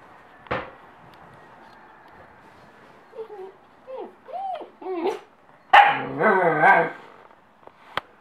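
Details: German Shepherd puppy, listening to Jingle Bells: after a lone sharp note, a series of short whiny yelps curving up and down, then a burst of rough, harmonic barking howls, ending with a faint click.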